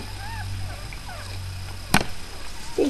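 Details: Newborn puppies of a dog named Miley, a litter of five born the night before, give soft, thin, rising-and-falling squeaks early on, then a sharp click and a brief low bump near the end over steady low hum.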